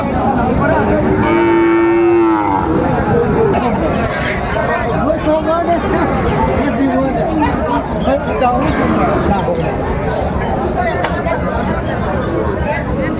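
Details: Sahiwal breed bull at a cattle market in Chittagong, Bangladesh, on 6 January 2025, bought by a farmer: a single steady, sustained moo lasting about a second near the start, over constant crowd chatter and loud speech.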